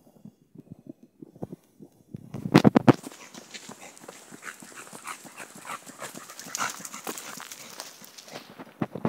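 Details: American Bully named Penny, off leash on a damp, wet day, leading the way on a wooded river trail walk; rapid irregular panting and snuffling breaths, with a few louder bursts near the start.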